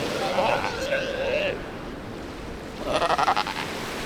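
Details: Sea lion pups of the Galápagos, on Santa Fé Island's beaches, make two bleating, harmonic calls, the first drawn out and the second pulsing briefly, with soft surf washing behind.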